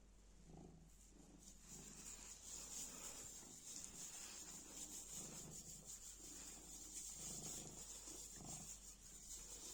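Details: Black house cat purrs contentedly while batting at a piece of black plastic bag, a quiet low throbbing purr pulsing in breath-paced bursts about every second beneath constant faint high-pitched hiss.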